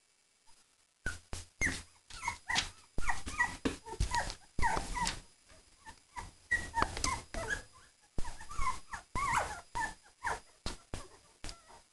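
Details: Three-week-old puppies at play with a Cavalier. A busy run of quick, high-pitched yelps, squeals and whines keeps up almost continuously for twelve seconds, with soft scuffling in between.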